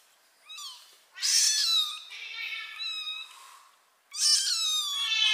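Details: Kitten mewing loudly, its mother cat carrying it by mouth; high, strained mews with wavering tone, one short cry then two long drawn-out calls, the last rising sharply and then falling away.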